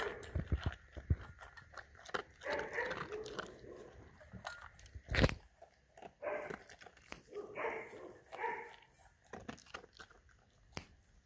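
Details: German Shepherd eating its food, recorded up close: irregular crunching and smacking clicks of chewing, one sharp loud crunch midway, with occasional short voiced bursts between bites.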